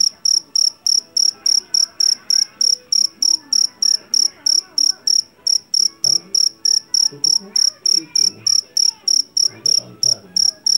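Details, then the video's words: High, penetrating chirps from a Javanese jangkrik jeliteng collected in a rice field, evenly spaced at about three per second, with quiet background murmurs and faint tonal sounds lower down. "SUARA JANGKRIK PENGUSIR TIKUS SUARA ASLI"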